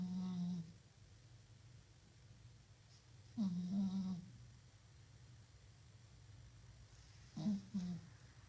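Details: Cat snoring in its sleep with a microphone held close: three short, low, droning snore breaths with buzzy overtones, separated by several seconds of quiet indoor background.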